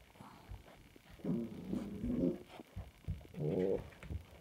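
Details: Samoyed puppies recorded 7.04.20, giving low nasal whimpers and grunting whines in three rising-and-falling bursts of about half a second, with soft rustling and knocks in a small indoor room between them.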